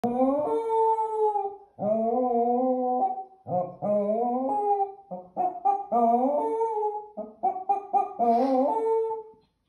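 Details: Keeshond. A Keeshond gives a run of drawn-out howls, each phrase bending upward then sliding down in a melodic, yodel-like way. Shorter yelping notes break in between the longer wails.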